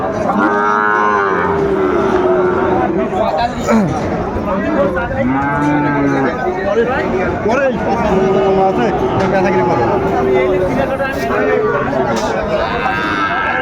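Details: Sahiwal bull calves offered at Ambari cattle market, Bangladesh, repeated drawn-out harmonic moos from several animals spread through the stretch over constant crowd chatter and bargaining voices.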